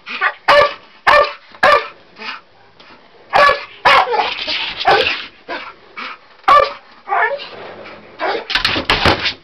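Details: A Bull Terrier barks at the attic ladder in short, loud bursts, with whining yips between them.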